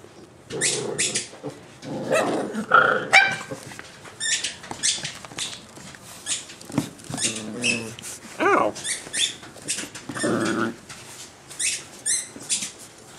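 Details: Boxer puppies, three nine weeks old and one thirteen weeks old, playing together; a busy run of high yips, squeaky barks and short whines, some overlapping, with brief growly bursts between.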